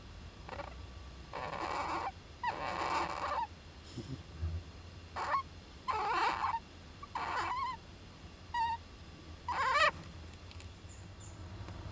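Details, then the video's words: Young Japanese giant flying squirrel in an owl nest box, recorded 19 July 2010 with its parent: a run of harsh, noisy squawks and churring bursts, some with sharp rising-falling whistle tones, coming irregularly every second or so over a low steady hum. "仔ムササビの鳴き声 ～子供だってくしゃみするんです～"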